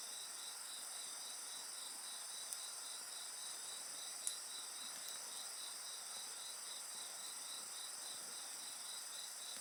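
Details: Insects singing at night beside a bonfire: a steady, high, pulsing trill repeated several times a second, with a continuous high shimmering chorus and occasional soft crackles from the fire.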